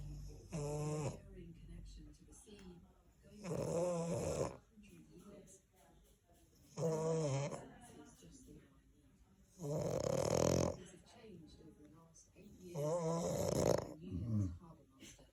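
A French Bulldog snores in deep, rasping bursts, each lasting about a second. The snores come roughly every three seconds, with quiet pauses between them.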